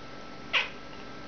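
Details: Mitzura the talking cat, an indoor pet, answers its owner with one short, bright chirping meow, clipped and high, then quiet room background.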